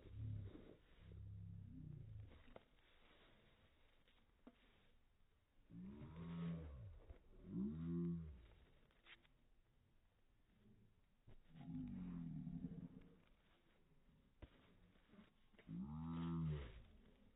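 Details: Bear, a Newfoundland dog, happy that his owner is home and giving big hugs. Low, groaning vocal bursts swell and fall in arching tones, coming in clusters around six, twelve and sixteen seconds with quiet gaps between.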